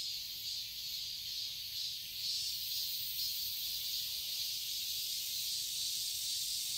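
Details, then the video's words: Garden cicadas in Seoul, Korea, singing in summer: a continuous high, hissing buzz that swells slightly after two seconds and holds steady to the end. "Cicadas chirping sounds"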